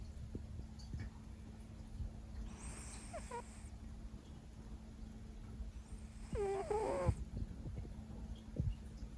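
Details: Siberian cat named Leo asleep after a long day, giving two breathy snores, the second louder with a squeaky, wavering tone, over a low steady hum.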